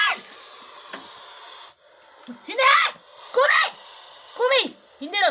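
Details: Dachshunds, one of a group of three, confronting a Russell's viper. A steady broadband hiss fills the first seconds, then a series of sharp, arched barks sounds out at irregular intervals over the final three seconds.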